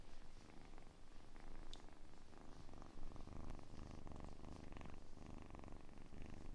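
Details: Softer, quieter kitten purring for ASMR relaxation, a low rumble with gentle breath cycles and a sharp click near the start.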